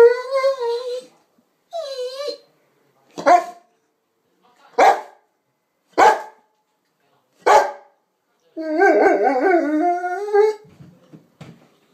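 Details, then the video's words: Presa Canario and Rottweiler cross dog, a young female, 'talking': wavering whine-howls with bending pitch, then a run of four sharp barks, closing with a long warbling howl and soft grumbling. "LOVES Two Things, Food & Talking!"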